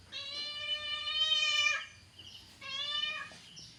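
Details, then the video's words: Angry cat yowling indoors: one sustained, even-pitched, strongly harmonic wail of nearly two seconds, then a shorter second yowl that drops slightly at its end. "The sound of an angry cat"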